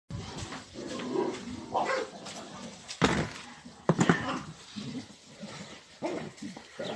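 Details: Several dogs assaulting a cat outdoors early in the morning. Rough, noisy barking and yelping mix with harsh bursts, with two loud, sharp outbursts near the middle and uneven scuffling activity throughout.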